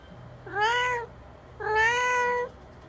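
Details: Hungry domestic cats, four of them, meowing for food indoors on 20 March 2019: two loud, clear, drawn-out meows, each rising slightly then holding steady, about a second apart, over faint low hum.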